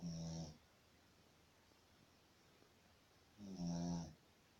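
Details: A sleeping Shih Tzu snores in low, rumbling breaths about three seconds apart.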